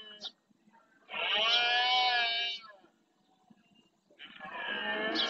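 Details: Red deer stag roaring during the rut in the marshes of Doñana National Park, Spain, males claiming territory; two loud, harmonically rich bellows of about a second and a half each, separated by a quiet gap.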